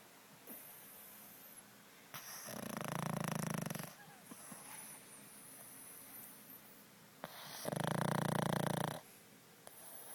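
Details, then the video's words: A pug snoring while asleep: two long, loud, rumbling snores about five seconds apart, each lasting over a second, separated by quiet breathing and faint room noise. "Snoring Pug"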